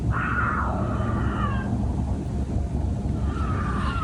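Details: Two wild mountain lions in a backyard at night, probably preparing to mate, caught on a phone; yelling-like wavering wails, one long drawn-out cry that bends downward and a later shorter one, over a heavy low rumbling background.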